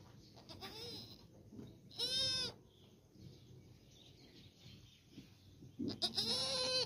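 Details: Goat calling around the birth of a female kid: a faint bleat, then a clear harmonic bleat near two seconds and another toward the end, separated by quiet rustling.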